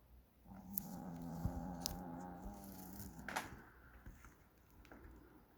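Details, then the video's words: Snoring puppy in deep sleep, a long, steady, low buzzing snore of about three seconds, then a few soft clicks and rustles. "snoring puppy 코고는 ~~ 코골이~~"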